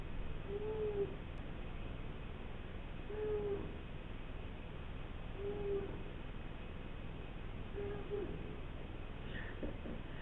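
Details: Sobbang, a young male British Shorthair lying for a long while on a lap at home, makes four soft, low, arched mews spaced roughly every two and a half seconds against steady indoor background noise.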